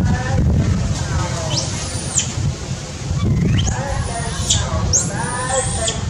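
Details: Hungry baby monkey separated from its mother, wailing for milk: three long, piercing squeals that sweep up steeply, hold high, then drop away, with softer lower wavering sounds in between and a constant low background hum.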